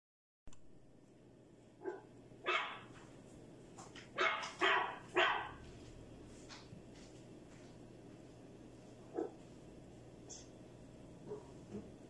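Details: Many hungry dogs, said to be escaping together, bark from some distance. Scattered single barks give way to a tight cluster of three loud barks midway, then fainter isolated barks over a steady background hum.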